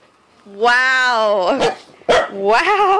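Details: A confused corgi gives a drawn-out, tonal howling whine lasting about a second, wavering slightly. A short broken yelp follows, then a second rising, wobbling whine in a small indoor room.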